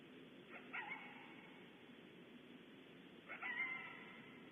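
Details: Coyote or coyotes at Starr Ranch, heard on a barn owl camera, give two sharp, slightly wavering barks about three seconds apart over a steady background hiss.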